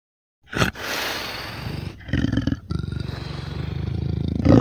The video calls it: Endangered Sounds - Amur Leopard